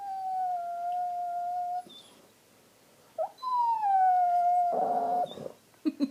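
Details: Dog throwing a temper tantrum, having pushed his bone under the sectional on purpose; long, steady, high whines, a falling drawn-out cry breaking into a rough, strained howl, then short yips in a small room.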